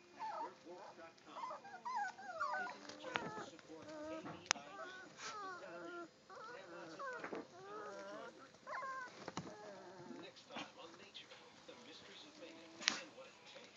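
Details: Three-week-old German Shorthaired Pointer puppies at play, producing overlapping squealing whines that warble and slide in pitch, tumbling in quick irregular bursts, with occasional sharp clicks and thumps.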